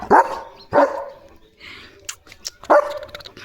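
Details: Leo, a German Shepherd pet dog, barking at a tractor passing in front of the house under a cloudy sky; three loud, harsh barks spaced about a second apart, with faint clicks and rustling between them.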